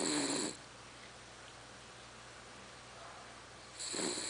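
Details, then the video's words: Charlotte, a pet female dog, snores loudly, likened to a tractor: two harsh, rasping, broadband snore bursts, one at the start and another about three seconds later, with quiet room tone in between. "Cachorra roncando."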